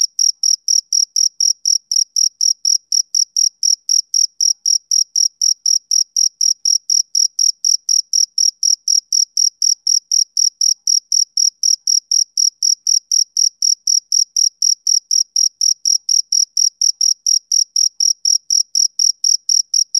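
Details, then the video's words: Male cricket chirping on a summer evening: steady, high, clean pulses repeated about four times a second in a regular rhythm, with a fainter upper overtone and no other sounds. "Cricket Chirping Sound Effect"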